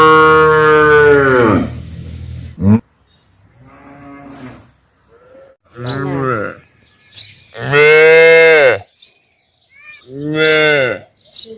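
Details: Big cow mooing loudly: a long rich harmonic moo with a falling end, followed by several shorter, rising-then-falling moos spaced by brief pauses, with quiet gaps between calls.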